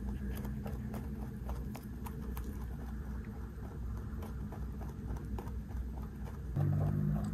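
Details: A 3.2 kg large rabbit crunches snacks it is being handed, making rapid, slightly uneven chewing clicks several times a second over a steady low background hum.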